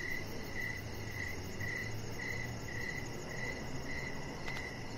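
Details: Crickets at dusk by a deck produce clear, evenly spaced high chirps, about two each second, while a low hum and broadband background noise run underneath and a brief click sounds near the end.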